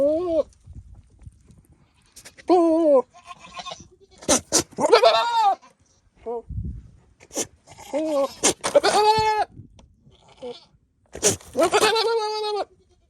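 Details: Nigerian Dwarf buck flirting with does after getting out of his pasture: a string of short wavering bleats, some quavering and rising, mixed with sharp snorts and clicking noises at irregular intervals.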